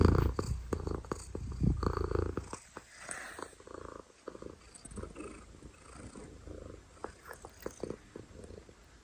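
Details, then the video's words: Domestic cat giving a loud, deep purr at close range, strongest in the first seconds, then softer rhythmic rumbling with scattered clicks and rustles. "Loudest Cat Purrs"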